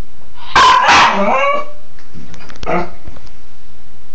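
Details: Cairn terrier Bug at play in the shower gives a loud double bark, then a fainter bark after a pause, in a reverberant room.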